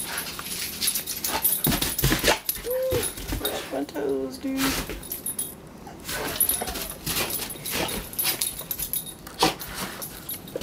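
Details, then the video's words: Pit bulls playing outdoors in snow; short high whining yelps and a brief whimpering tone near the middle, mixed with a person talking, rustling movement and faint background music. "Pitbulls playing in snow"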